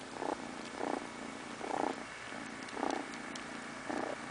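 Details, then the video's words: Kitty drifting off to sleep, purring: a soft droning hum swelling into five distinct breathy bursts about one second apart, the rhythm following its breaths in a quiet room. "A purring kitty goes to sleep"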